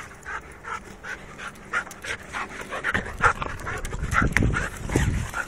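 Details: Restless Labrador Retriever panting in quick, uneven breathy pulses that grow louder and rougher toward the end, with faint tonal whine-like traces mixed into the breaths.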